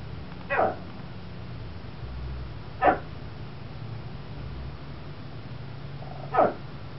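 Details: Chihuahua Vespa, standing in a bay window indoors, barking at a school bus crowd while a second dog, Tucker, also barks from the floor; three single sharp barks spaced about two to three seconds apart over a low steady hum.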